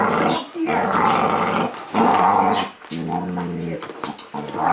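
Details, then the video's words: Kasper, a dog wearing a cone after cutting an artery in his foot, growls while playing with Zoey for the first time in eight days; rough, low growls in bursts with brief pauses, indoors in a small room. "Coned dog trying to play"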